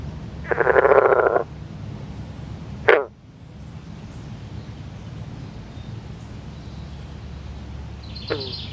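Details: Male Northern green frog (Rana clamitans) calling while in a mating embrace among newly laid eggs, other males calling in the background: a loud, pulsed, twangy croak lasting about a second, then a sharp short note, over steady low background hum.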